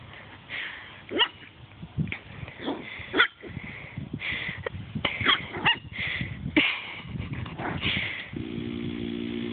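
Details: Eight-week-old female puppy Tesla playing with a person and chasing toes indoors; short scattered yips, squeaky whines and rough growly bursts come in uneven clusters, with rustling movement noise and a steady low tonal hum near the end.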